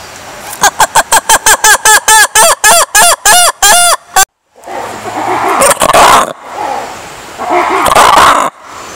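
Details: Lemurs give a fast run of strident, arched harmonic calls that stretch longer as the series goes on. The calls end suddenly, followed by broad noisy rustling and scuffling sounds.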